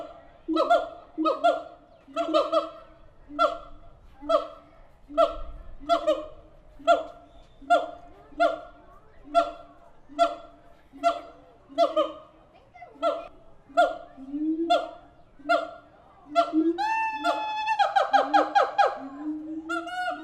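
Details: Captive siamang apes at the Tulsa Zoo calling loudly: strong, harmonic hooting barks repeat about once a second, then quicken into a fast, rising, excited series near the end.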